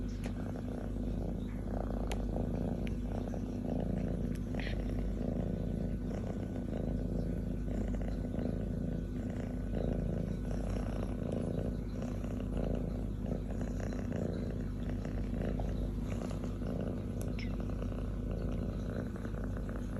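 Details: Indoors, a female kitten nearly an adult purrs out of pure joy on a man's chest while licking and kissing him; long unbroken low purr pulsing steadily, occasional light ticks from licking.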